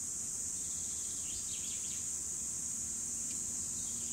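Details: Cicadas recorded in 2017, a dense unbroken high-pitched buzzing drone holding steady throughout, with faint short bird chirps scattered underneath.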